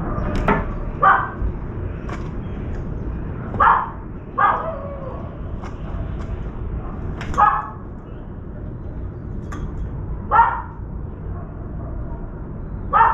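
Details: A puppy barks near an apartment veranda, where a wild dove is trapped and flapping and a crow arrives carrying meat. Short harmonic barks come singly, about one to three seconds apart, with faint clicks and knocks between them.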